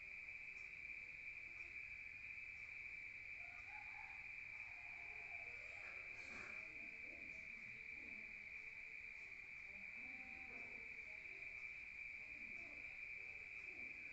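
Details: A rural night chorus of crickets, heard from inside a room, holds one constant high-pitched trill so dense it sounds like continuous ringing, with faint scattered low sounds beneath.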